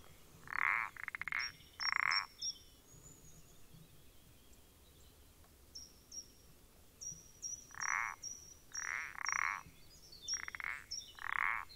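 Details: Recorded on 14 April 2020, a common parsley frog gives strong, squeaky, creaking croaks, first two widely spaced, then a quicker run of paired notes, with high thin chirping series behind.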